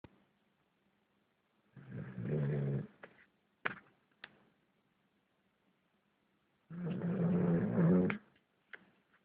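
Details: German Shepherd mix dog snoring during a nap: two long, low, rasping snores about five seconds apart, each lasting around a second, with a few faint clicks and rustles between them.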